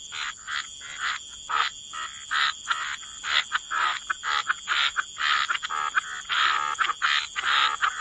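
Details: Croaking frogs at the waterside in a wetland setting, short raspy croaks coming in uneven bursts several times a second with brief gaps between, a thin steady high tone running underneath throughout.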